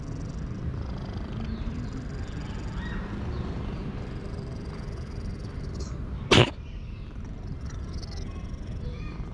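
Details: Loud purring from a male cat enjoying being petted, a continuous low rumbling drone, broken once near the end by a sharp click or knock.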